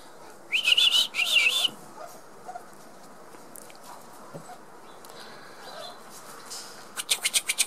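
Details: Six-week-old Border Collie puppies playing together; two shrill, wavering squeals come early in quick succession, then faint scuffling and a final burst of rapid clicking taps.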